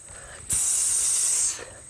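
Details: A large tarantula gives a sharp, sizzling, rattlesnake-like hiss for about a second as its first defensive warning, made by rubbing together the stiff bristles on either side of its jaws.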